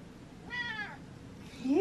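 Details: Pet cat indoors giving a single short meow with stacked harmonics, while a woman talks to it.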